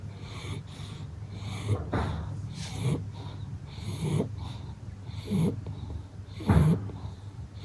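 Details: Sleeping pug napping after playtime, snoring and snorting with deep rhythmic breaths about once every second or so, some louder wheezing snorts standing out, in a quiet room.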